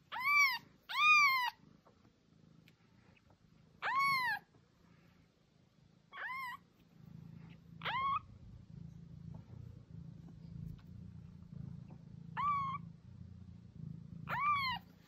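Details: Domestic cat meows meant to call and attract cats: a series of short arched mews, two quick ones opening, then singles every two to four seconds, with a low purring rumble underneath in the second half.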